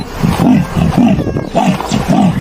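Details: A leopard gives a run of deep, rasping grunts, about two every second.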